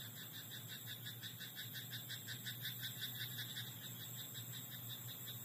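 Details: Night frog in a rice paddy, croaking as a continuous stream of quick, regularly pulsed notes through the whole stretch, with a constant high-pitched tone and a low background hum beneath.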